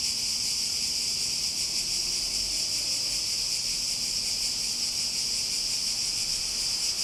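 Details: Cicadas keep up a steady, buzzing drone with a faint pulsing beat. It stays uniform in loudness throughout, with only a soft low hum in the background.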